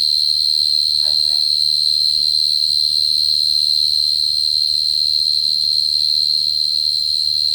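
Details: Short-tailed cricket lure song: one steady, high, unbroken trill with ringing overtones above it. A low hum runs underneath, and one short rustling knock comes at about one second.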